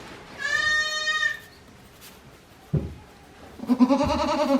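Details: A day-old goat kid at a Japanese handmade goat farm, April 2024, gives a steady high bleat, falls quiet after a knock, then a lower, quivering bleat closes the sequence.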